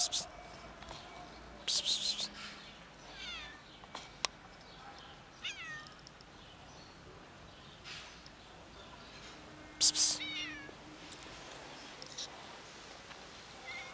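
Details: A ginger cat meows loudly and goes ignored by people. Its repeated bent, whining meows come in short runs among sudden hissing bursts and a single sharp click.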